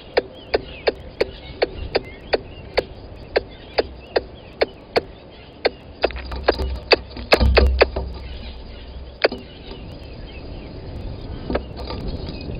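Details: A squirrel calls on the microphone at Gowrie dam waterhole, Djuma Game Reserve, Sabi Sand, South Africa, at 10:41 on 12/09/20, giving sharp, dry clicks in a steady rapid series that later break into irregular bursts.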